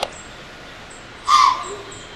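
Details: A single short, forceful snort from a Pennsylvania white-tailed doe confronting a person with a camera, an explosive hissing blow with a hoarse core, faint bird chirps around it.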